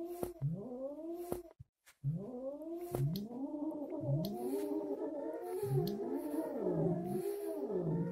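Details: An angry Siamese cat after a hysterectomy gives drawn-out, rising and falling yowling meows broken by a few sharp hisses.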